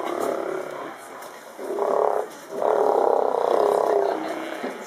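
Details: In Canada, Steller sea lions (Eumetopias jubatus) give deep, rumbling growls and roars in long, overlapping bursts.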